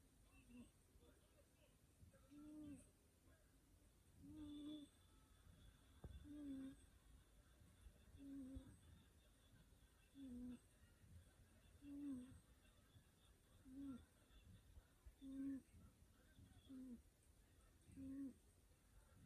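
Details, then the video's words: Sleeping cat snoring quietly indoors, each breath carrying a short squeaky, tonal note, repeated roughly every two seconds in an uneven rhythm, with faint room hiss behind. "Snoring cat miming so sleepy"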